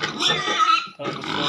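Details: Pigs at a piggery giving a long, harsh, broadband squeal that breaks off briefly, then resumes just as loud and strained.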